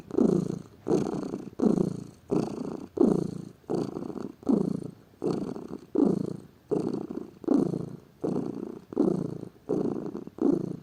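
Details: Pet cat described as lazy purring in a continuous low rumble, pulsing in even bursts roughly every 0.7 seconds as it breathes in and out, about fifteen cycles heard.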